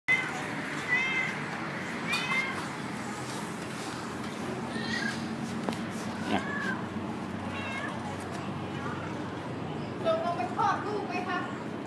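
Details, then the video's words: A pregnant orange domestic cat gives repeated wavering, mid-pitched meows, about five spread over twelve seconds, while a person talks nearby. "แมวส้ม อุ้มท้องมาร้องแง๋วๆ"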